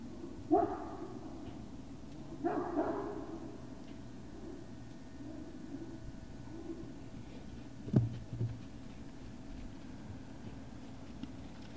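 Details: Great Dane puppies at Puppy Hill on the evening of 19 February 2019: two short, harsh barks or yips about two seconds apart, a fainter one near four seconds, then a sharp knock around eight seconds over a steady low hum.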